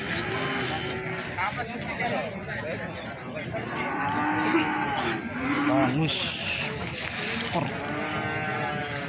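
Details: Feeder cattle at the Plaosan livestock market, Magetan, Indonesia: several short, overlapping lowing calls amid dense crowd noise and clatter, with a steady background hum throughout.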